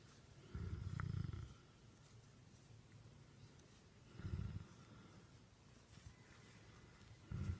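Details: Great Dane therapy dog named Becket purrs like a kitten as it is petted indoors, giving deep, low rumbling bursts of about a second each, repeated every three to four seconds over a soft background hiss.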